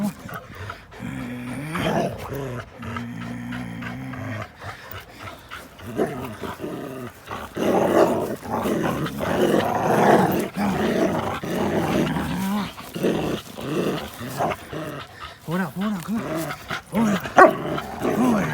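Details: Linus, an American Pit Bull Terrier, and Buddy, a blue Belgian Malinois cross, play together on April 1, 2019; a steady layered growl opens, then rapid rough growling and yips tumble on through a noisy, scuffling stretch.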